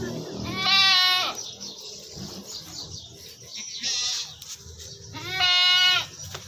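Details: Nagri Beetal goats kept on a farm in Pakistan bleat three times, each a harsh, quavering cry about half a second long, spaced a few seconds apart, with quieter farm noise and faint music between them.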